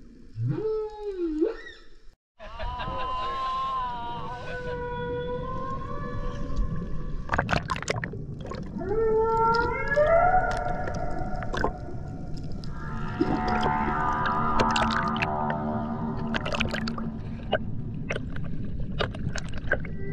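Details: Humpback whale sounds from the Banco de la Plata sanctuary off Puerto Plata, Dominican Republic, 2024 expedition: a low swooping whoop, then long harmonic wails holding steady, a rising cry, and a dense rich moaning passage, over a constant watery rumble.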